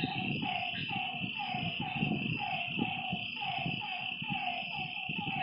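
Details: Frogs at a lake after dark repeat short falling notes about three times a second against a continuous high-pitched background drone and soft low rumbling.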